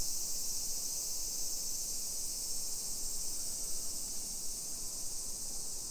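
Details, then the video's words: Cicadas in summer over suburban streets of Nisshin, Aichi Prefecture, Japan, early afternoon on 28 July 2021: an unbroken shrill, hissing drone holding constant for the whole stretch, no other callers standing out. "Summer Cicadas Sounds"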